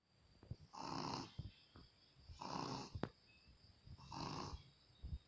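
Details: Shih Tzu dog, a pet, snoring while sound asleep. Three rough, rasping snore breaths swell and fade about every 1.7 seconds, with soft clicks and snuffles between them and a faint steady hum behind.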